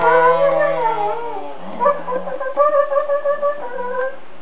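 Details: A Siberian Husky playing with a child on bean bags 'talks' and 'laughs' in drawn-out, wavering tones that slide up and down like a yodel.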